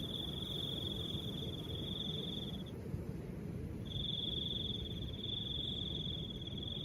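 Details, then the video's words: Cricket trilling with soft wind: a steady high narrow trill sustained for over two seconds, a pause of about a second, then resuming and running to the end, over a constant low rumble of wind. "Crickets and the sound of soft wind"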